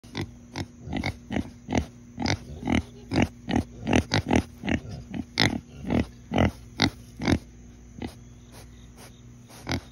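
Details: Pig snorting repeatedly, short broadband huffs about every half second, some in quick pairs, irregular rhythm over ten seconds with no other clear sounds.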